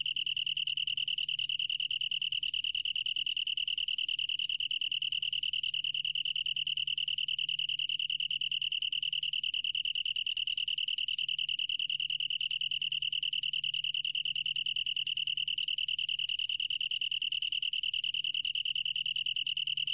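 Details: Long-tailed tree cricket from a 2020 National Institute of Biological Resources recording: a steady, unbroken high trill made of fast, even pulses that hold one pitch for the full twenty seconds, with a faint low hum underneath.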